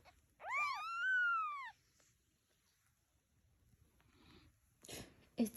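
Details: Domestic cat with kittens: a single loud, prolonged meow rising then slowly falling, followed by quiet and a few sharp knocks and shuffling noises.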